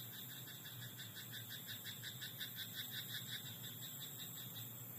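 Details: Night-time frog in a rice paddy, giving a continuous run of quick, evenly pulsed croaks with a rough, bright tone throughout, backed by a constant high-pitched whine and a faint low hum.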